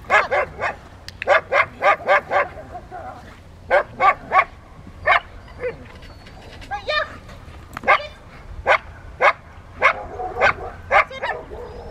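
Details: Barking at a Rottweiler Club obedience session with distraction work, Victoria, May 2, 2021: sharp single barks in quick bursts of three to five, separated by brief gaps, with a short yelping squeal midway and low murmur of people.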